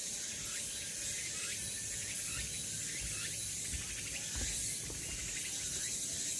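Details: Cicadas singing along the Deogeumsan Solbaram pine trail in Namwon, South Korea, on 16 August 2019: a steady, hissing high-pitched drone fills the air, with faint chirping bird calls woven through it.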